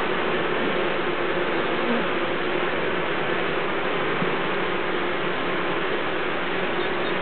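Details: Honeybees air-conditioning their hive by fanning, a dense, unbroken buzzing drone that holds steady and loud throughout, with no pauses or other sounds standing out.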